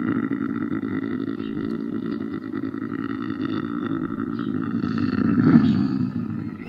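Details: Quieter, grating lynx yowl with blurred harmonics, held throughout and rising briefly to a harsher peak near the end.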